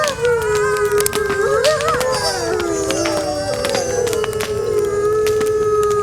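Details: Wolves howling in the distance on a cold winter night: several long, steady, slightly wavering howls overlap and bend up and down in pitch throughout, over the sharp snaps and pops of a crackling bonfire.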